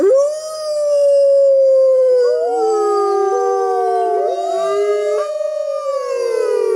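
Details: Wolf howls rising sharply at the start and then holding long and smooth, with a second voice entering and sliding down and back up, so two or more howls overlap and bend throughout.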